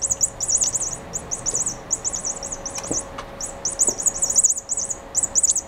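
A mouse gives very high, thin, bird-like chirps in quick trilled bursts, almost without pause, over a faint steady electrical hum and a few soft clicks.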